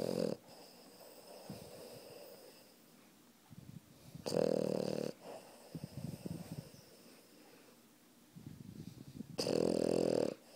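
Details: Dozing puppy snoring on top of its owner: rough rattling snores recur every five seconds or so, with softer snuffling breaths and small wheezes in between, inside a quiet room.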